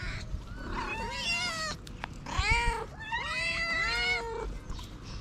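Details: Street cats: a female tortoiseshell with lots of ginger strays, calling for food. Several overlapping wavering meows come in bursts roughly every second, with a sharp click near the middle and steady low outdoor noise.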